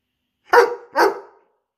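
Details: Indoors during a night play session, Arlo, a Borzoi dog aged 17 months, lets out a quick pair of bright, harsh barks close together, with silence around them.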